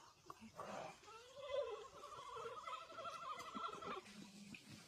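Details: Giant panda Fubao, recorded March 10, makes a drawn-out sheep-like bleat. A nasal tone swells upward, then holds with a trembling quaver for about three seconds before fading. Faint voices sit beneath it.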